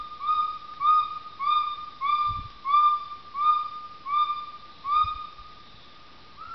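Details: A gibbon gives clear, whistled hoots, each slightly rising and repeated about every two-thirds of a second, recorded at the Gibbon Experience in Laos.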